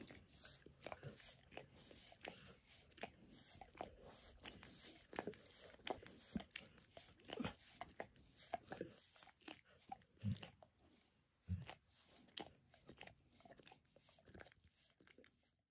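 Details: Max, a dog, licking his own paws and then a person's foot, shin and knee indoors, recorded spontaneously: a dense run of wet, smacking clicks and slurps, irregular and close, with no speech.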